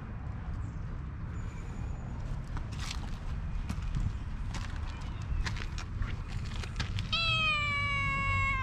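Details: Calico cat calling, its voice drawing a black cat over; one long, clear harmonic meow arrives near the end, held steady then sagging slightly, after a stretch of low rumbling background with scattered clicks and taps.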